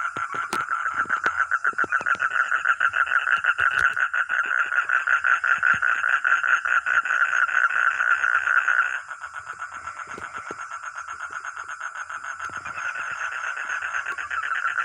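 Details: Frog or toad giving loud, fast pulsed croaks for about nine seconds, then dropping abruptly to a softer but still continuous rattling series that carries on to the end.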